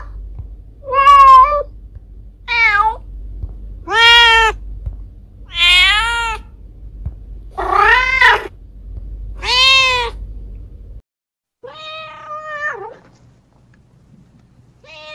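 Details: Mother cat calling for her kittens with a rapid run of six loud meows, some quavering and falling, then the background drops away before two fainter meows.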